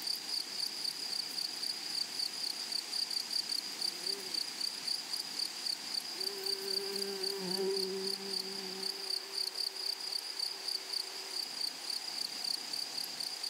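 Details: Meadow grasshoppers keep up a shrill, high-pitched trill pulsing about four times a second. A faint lower humming drone runs underneath for several seconds mid-recording.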